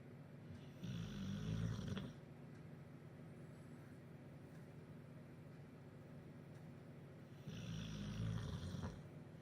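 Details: Duke, a bulldog in Huddersfield, snoring in his sleep after a chicken curry and a pint at the pub: two long, low, rasping snores about six seconds apart, each lasting over a second, with a quiet hiss between them.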